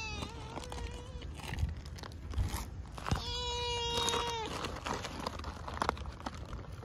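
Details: Stray cat Mii-chan being given a Churu treat: one short level meow, then after a pause a longer, louder, steady drawn-out meow, with crunching and clicking handling noises around them.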